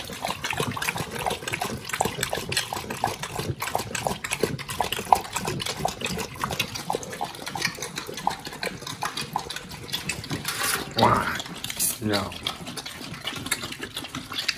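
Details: Two pit bulls chewing raw quail and giant sea bass skin, a raw-fed meal; wet crunching and smacking bites come in rapid irregular bursts, with liquid slurping and a few louder cracks near the end.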